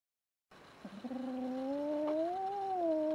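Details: Young female kitten, under a year old and newly adopted, threatening the household's resident male cat in her new home; one long, drawn-out tonal yowl that wavers and rises slightly, then holds steady and loud to the end.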